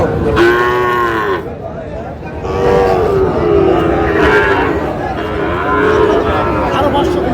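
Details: Young Sahiwal bulls at a market in Tangail, Bangladesh: a loud, harmonic-rich bellow followed by softer arching moos every second or so, against steady background chatter from buyers and sellers.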